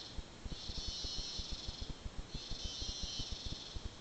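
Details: Cicadas in the rainforest of Arenal National Park: a dense, high buzzing drone that swells in two long waves, over a steady low pattering of irregular ticks and taps.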